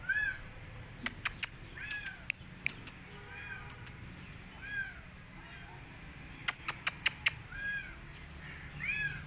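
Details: Rescued street kitten that wants to go back outside and refuses food, mewing in short arched cries scattered through the clip, almost masked by sharp clattering clicks and a low background hum.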